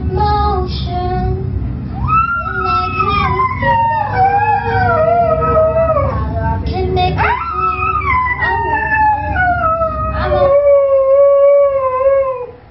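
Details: A Siberian Husky sings along to the song Fight Song, giving long, drawn-out howls that rise sharply and then slide slowly downward in two main phrases, over loud background music with a female singer.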